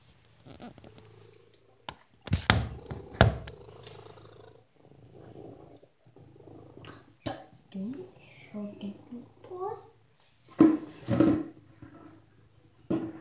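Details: Domestic pet cat indoors, purring as a steady low rumble through most of the recording, with people talking nearby, a few sharp knocks, and short rising and falling voiced tones near the end.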